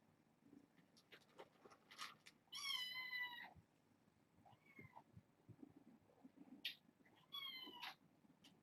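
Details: Young kittens from a litter of six born August 29, indoors at bedtime: several high, harmonic meows, one long drawn-out cry and shorter rising mews, over soft rustling and low room noise.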